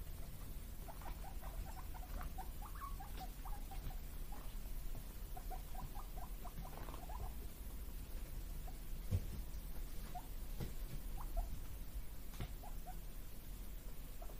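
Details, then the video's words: Two male guinea pig brothers, born 31 March 2022, squeak in quick, high "puipui" bursts, impatiently calling for vegetable treats over a low background rumble. "【鳴き声】野菜欲しくてPUIPUIまつりのモルモット【ぷいぷい】Guineapigs barking"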